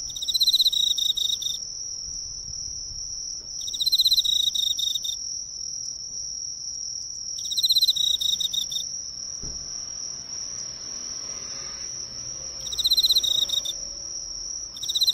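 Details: An Emma field cricket (Teleogryllus emma), drawn to a nearby drugstore's lights, sings bright, trilled chirp phrases of about a second, repeated every few seconds, recorded close up.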